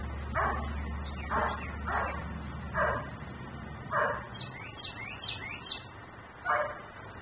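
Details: Outdoor dog in Mecklenburg, left in the yard and barking persistently, captured on a neighbour's camera: six sharp barks at irregular intervals about a second apart, with faint high chirps in the middle and a constant low drone.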